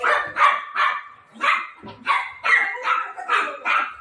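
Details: Repeated bright barks from Milo, a playful Golden Retriever puppy playing with mom, about nine sharp yaps in four seconds at a fairly steady quick pace.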